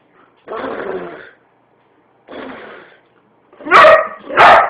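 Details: Boo, a white boxer, making funny noises: two raspy, noisy grumbles lasting about a second each, then two loud, sharp, ringing barks close together at the end.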